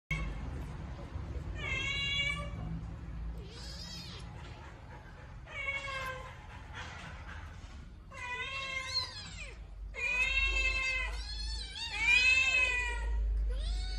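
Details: Two rescued baby kittens fighting each other over food: harsh, wavering meows and drawn-out yowls in repeated bursts, several bending downward at the end, with a low rumble underneath.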